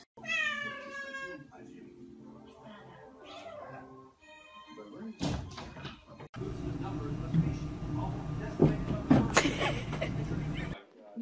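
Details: Domestic cat meowing in a funny cat compilation: a loud, drawn-out tonal meow opens the recording, then gives way to people talking, background music and a burst of loud rustling noise.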